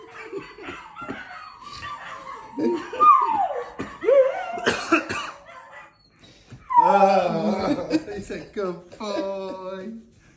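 A Scottish Terrier howls, wavering drawn-out notes rising and falling as it joins other dogs.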